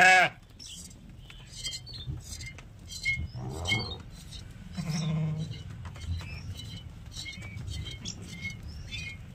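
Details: Sheep during milking: a clipped loud bleat at the start, then two softer, rough bleats midway, over light chirping and clicking sounds and low background rumble.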